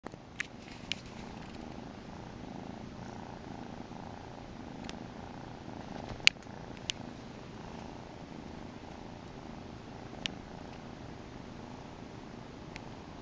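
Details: A young male grey Domestic Shorthair kitten with a white muzzle purrs in a steady, low, rumbling rhythm.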